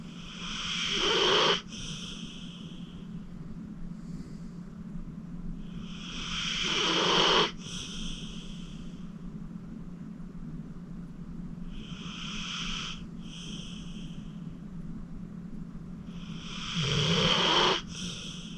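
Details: Acorn, a deep-sleeping 14-year-old pit bull rescued from a county shelter, snores away while relaxing in his new home. Raspy inhaled snores build and cut off sharply, alternating with gentle hissing exhalations at an unhurried pace.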